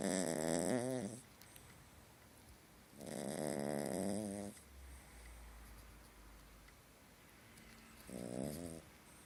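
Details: Sleeping puppy snoring during a nightmare indoors: three harsh, buzzy snores with a quavering whimper-like pitch, the middle one longest, spaced several seconds apart in a quiet room.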